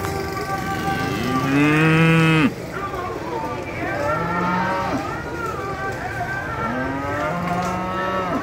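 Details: Tame cattle at an animal trading market: a loud arching moo around two seconds, then several softer overlapping moos from other cattle, with constant low rumble of traffic and crowd.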